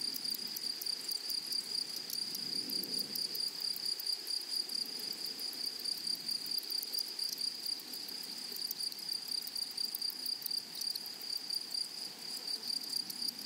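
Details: Flowery-meadow grasshoppers keep up a constant piercing whine at a single high pitch across the whole stretch, with dense rapid ticks above it and faint low background murmur, briefly louder around the third second.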